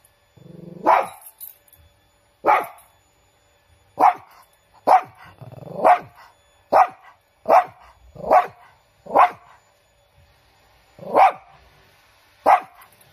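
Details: About eleven loud, abrupt barks from Chiro, a pet Shih Tzu of unusually large size, spaced irregularly from half a second to two seconds apart. One bark opens with a brief low grumble.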